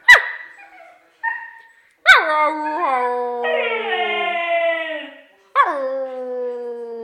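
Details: Siberian husky singing: a few short yelps, then long howls that start with a sharp high onset, drop quickly and hold a steady tone that sinks slowly over several seconds, followed by a fresh rising start.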